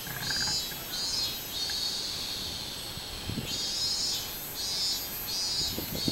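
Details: A robust cicada (Hyalessa maculaticollis) sings on 24 July 2016, with loud, high buzzing pulses that swell and fade in a steady repeating rhythm.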